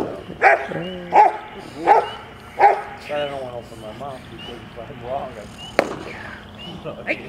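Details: A Rottweiler puppy, 10.5 months old, at a bitework session, 15 April 2009. Four loud barks come at regular intervals over the first three seconds, then give way to human speech and faint background noise.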